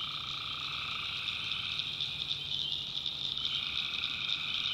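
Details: Swamp at night in the North Carolina backwoods, tree frogs filling the air with a continuous high, pulsing chorus; a lower band of calls thins out around the middle and returns.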